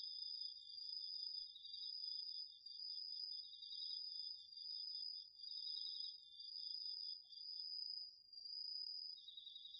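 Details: Night-time autumn insect chorus, crickets and others, from a garden vegetable patch recorded on a DR-40X: a continuous piercing high trill layered with a lower, fast-pulsed chirping that pauses briefly near the end, loudness swelling and dipping rhythmically.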